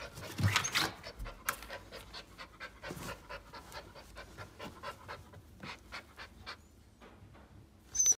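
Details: Golden Retriever panting: quick, evenly spaced breathy puffs throughout, soft and close, with a few louder thumps and a brief squeak at the end.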